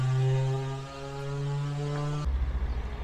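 A steady low mechanical hum with stacked harmonics, then a deeper throbbing engine-like rumble.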